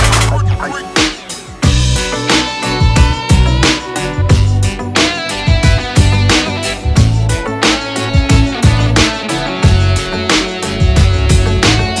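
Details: Loud electronic music with guitar and heavy bass beats fills the whole stretch, without any animal sound.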